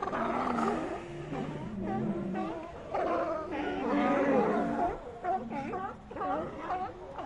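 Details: A group of sea lions in ambient sound: many overlapping moans and barks with bending, wavering pitch, forming a thick murmuring chorus that swells in the middle and thins out later.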